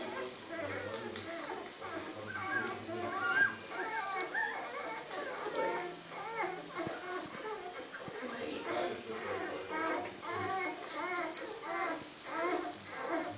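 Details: A female Weimaraner gives a stream of high, whining whimpers and squeaks while watching a video of newborn Weimaraner puppies, with faint speech behind.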